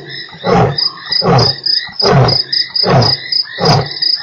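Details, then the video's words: Roar from a lion at Nkorho, 3 March: closing series of short, deep grunts repeated roughly every 0.8 seconds, set against constant shrill insect and frog calls. "lion roars"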